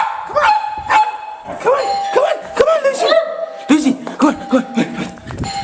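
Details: Indoors, a household dog reacts to a computer-played doorbell with short, arched barks that come about every half second and then in a quick series, over steady chime tones and human chatter.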